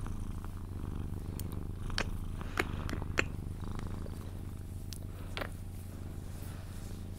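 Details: Sphynx cat giving a steady low purr during cuddles before falling asleep, an even rumbling drone under several sharp kiss-like smacks and clicks in the middle part.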